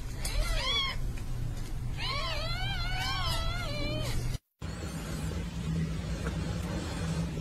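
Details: Mother cat with her kittens: short arched mews, a pair at the start and then a quick run of about six, over a loud low rumble. A brief dropout follows, then only background noise.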